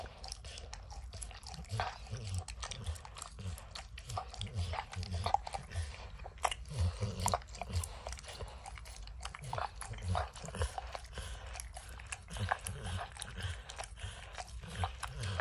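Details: Steady, wet tongue smacks and small crunches as Max the dog works peanut butter and kibble out of an orange lick mat, over a continuous low thumping rumble.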